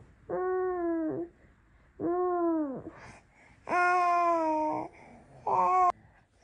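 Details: Norwegian Forest Cat, described as always staying near its owner, calling in four rich, tonal meows about a second long each, spaced one to two seconds apart, some ending in a slight downward bend.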